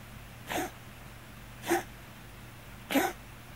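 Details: A Scottish Fold cat with hypertrophic cardiomyopathy gives short, hiccup-like coughs, one sharp huff a little over every second; the cough has become frequent recently, worrying the owner.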